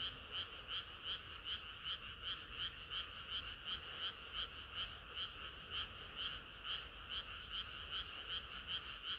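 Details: Chorus of frogs on a hot summer night, rapid repeated croaks at an uneven but steady pace, several callers overlapping into a bright, throbbing wall of sound over faint low background noise.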